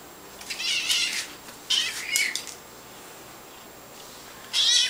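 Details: Sniffles, a kitten adopted from an animal shelter, doing her little trick when she wants something: thin, high meowing calls in bursts near the first, second and fifth seconds, separated by quiet room hiss.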